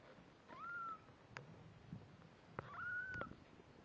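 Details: One-week-old kittens with their Snowshoe Siamese mother cat; two drawn-out, fairly level high mews about two seconds apart, with soft clicks and rustling between them.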